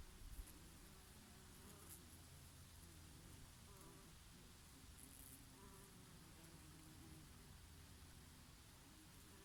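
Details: Bees grazing on oregano flowers in summer, a low steady droning hum with gentle rises and falls, soft summer breeze in the background.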